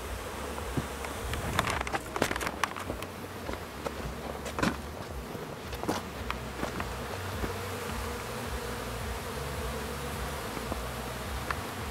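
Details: Honey bees at a hive, new foragers on orientation flights while others clean up honey cappings; a constant hum broken by many sharp clicks and crackles, busiest in the first half.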